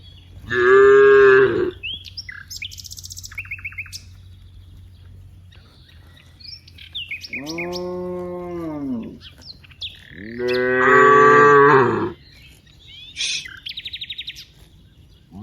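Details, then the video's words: Cows from a herd of dozens in a wide rice field: three long, harmonic moos, the middle one softer and wavering, with high chirping birds between the calls. "various sounds of Moo cows"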